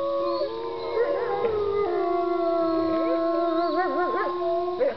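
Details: Wolves howling at Bays Mountain Park in Kingsport, Tennessee: several long, steady tones overlapping in a continuous chorus, some holding level while others slide and waver up and down, with a brief rising yelp at the end.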